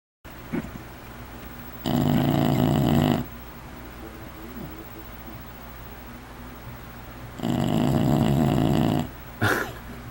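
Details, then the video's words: Pet bulldog sleeping indoors, snoring loudly: two long rasping snores about a second and a half each, roughly five seconds apart, with quiet breathing between and a small snort near the end. "Bulldog (Suga) Snoring!!!"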